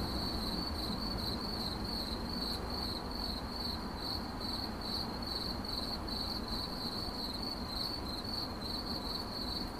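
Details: Shrill cricket chirping repeated in quick, slightly uneven pulse groups, roughly two per second, over continuous low background noise.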